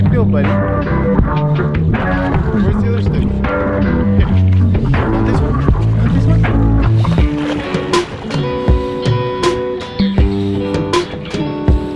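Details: Steady guitar-led music with plucked strings and a strong low beat, with talking over it and sharp percussive hits near the end; no animal voice can be heard.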